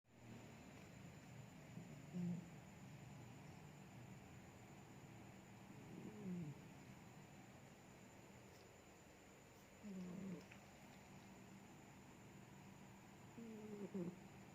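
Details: Sleeping cat snoring quietly, each breath giving a short low tonal hum with faint harmonics, repeating roughly every four seconds at a steady resting pace over a soft constant background hiss.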